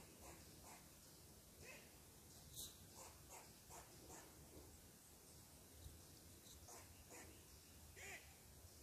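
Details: ['Squirrel barking in agitation at a person sitting in its tree: sharp, short broadband chucks repeated roughly every half second over faint steady background hiss.']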